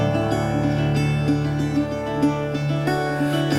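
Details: Plucked string notes repeat in a gentle pattern over a sustained low drone. No animal voice can be picked out anywhere in the music.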